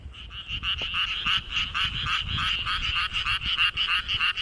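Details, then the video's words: Frog calling with its throat inflated hugely, found calling at someone's feet in rice paddies; rapid rasping pulsed croaks, about three per second, in a steady fast series. "破裂しないか心配 になるほど体を思い切りふくらませて鳴くカエル"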